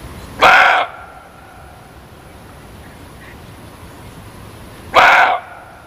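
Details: Muntjac calling with a pair of gruff, explosive barks spaced about four and a half seconds apart. Each is short and harmonic-laden, with faint hiss between them.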